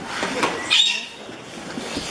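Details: A short, high, wavering whistle from Pacific white-sided dolphins Hannah and Helen in their pool at the Vancouver Aquarium on a chilly afternoon, with crowd noise and splashing behind it.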